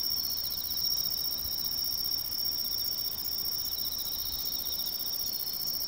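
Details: Tree cricket singing in autumn in woodland along a major river, a steady high, even trill running unbroken through the whole stretch, with a fainter pulsing band just beneath it and quiet low background rumble.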